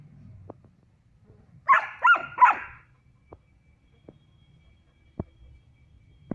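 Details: A female German Shepherd puppy, three months old, plays with a male Barbari goat on a goat farm in Muzaffarpur, Bihar, India. A burst of three hoarse, strained barks is followed by quiet ticks and taps.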